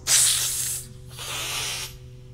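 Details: Cat hissing defensively, from a guide to kitten sounds; two breathy, airy bursts of hiss, the first sharp and loud for under a second, the second longer and softer, with low hum underneath.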